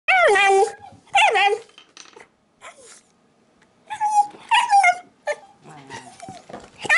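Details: Shiba Inu dog demanding apple placed on a table at home: loud high whining yelps with wavering pitch, two long cries then quieter gaps and a cluster of shorter whines, ending on a sharp cry.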